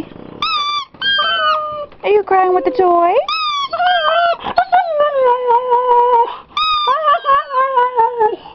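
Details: Jerry Lee, a Siberian Husky, gives a run of drawn-out, tuneful whines that bend and waver in pitch, some almost howl-like, whenever his squeaky toy is squeezed; a person talks to him between the cries.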